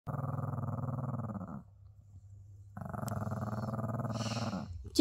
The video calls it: chikoo the TIGER roaring